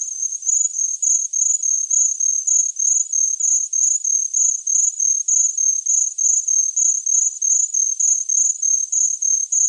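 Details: Chirping cricket, offered as a tinnitus masking sound: a high, thin, steady trill broken into rapid pulses about three per second, running evenly with no other sounds behind it.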